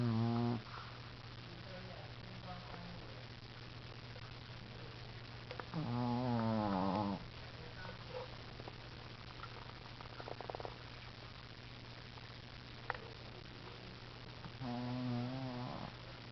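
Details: Shih Tzu Nana asleep and snoring: several shorter, quieter rattling snores spread through the stretch, some soft scattered noises between them, and a steady low hum underneath.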